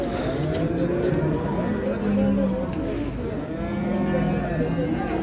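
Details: Long, steady lowing from young bulls at the Şarkışla livestock market, recorded in October, with several overlapping moos rising and falling over a bed of background music and crowd murmur.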